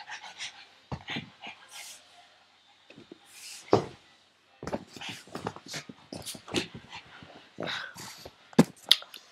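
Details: Frankie the pug, a pet, lunges after a tug toy and flips over; quick huffing pants in rapid uneven runs, about three per second, with snorty puffs and brief pauses.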